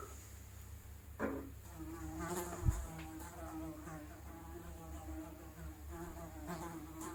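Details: A fly, captured as real analog sound with no post-processing, buzzes in a continuous low hum with wobbling overtones; a couple of sharp taps interrupt around the first three seconds.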